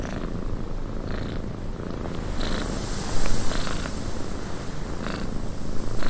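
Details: Low, even purring of a cat in a windy cabin, a constant deep hum that grows slightly louder toward the end, with a few faint rustles and a breathy hiss.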